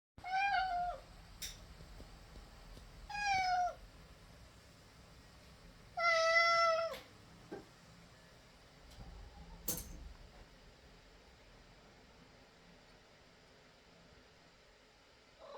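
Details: Pet cat at home that opens doors and refuses its owners any privacy, heard indoors in a small room: three drawn-out, slightly falling harmonic meows about three seconds apart, with sharp clicks and knocks between them over a quiet room hum.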